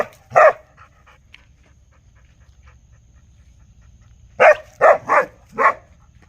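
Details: Dog gives one loud bark, stays quiet for about four seconds apart from faint soft sounds, then lets out a quick run of four barks.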